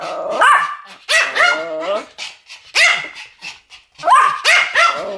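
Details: Duet barking by Pomeranians: clusters of two or three shrill, harmonic yaps, with short gaps between bursts and a few quieter, lower barks in the middle.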